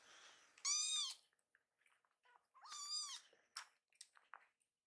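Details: A hungry rescued kitten, one of a pair named Kii-chan and Chakkun, voices two drawn-out meows over a late feeding, followed by clicks and handling noises indoors.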